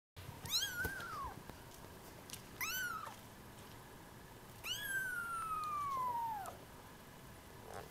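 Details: A Munchkin kitten born March 3 gives three high, thin meows, each rising briefly and then sliding downward.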